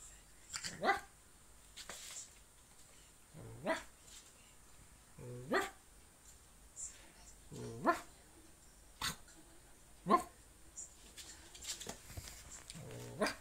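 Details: French Bulldog puppy about seven weeks old, barking indoors in short, sharp yaps roughly every one to two seconds, with some higher yelps between them; quiet background with a faint high electronic hum.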